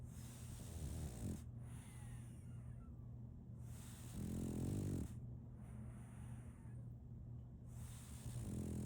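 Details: Sleeping French Bulldog Solaimy, a female, gives gravelly low snores spaced about three to four seconds apart, separated by softer breathing, against a steady electrical-sounding hum.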